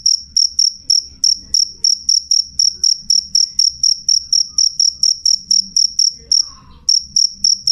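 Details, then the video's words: Loud, clear chirps from a cricket (jangkrik), rapid high pulses roughly four per second, briefly stopping near the end before resuming, over a faint low background murmur. "suara jangkrik jernih keras"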